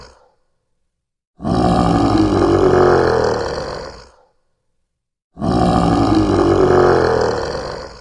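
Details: Lion (Panthera leo), roar.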